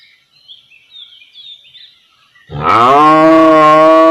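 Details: Real-life cow recorded in a village area: quiet faint chirping for two and a half seconds, then a loud, deep, steady moo begins and holds to the end.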